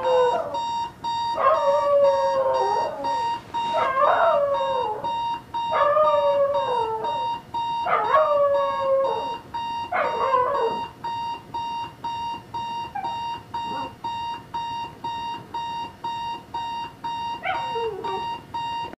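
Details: Howling from Jax, a family dog bothered by the bedside alarm clock: five short, bent howls about every two seconds, then fading yelps, with rapid alarm beeping throughout.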